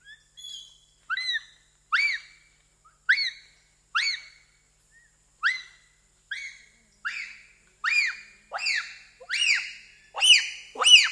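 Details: Bonobo (pygmy chimpanzee) giving individual screams in Wamba Forest, Equateur Region, Zaire: a series of shrill, arched, high-pitched calls, one about every second, growing louder and longer toward the end.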